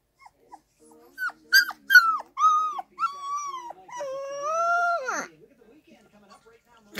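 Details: Two-week-old Irish Wolfhound puppy howling, squeaky yelps building into longer level wails and a final drawn-out howl over a second long that drops away, faint music behind.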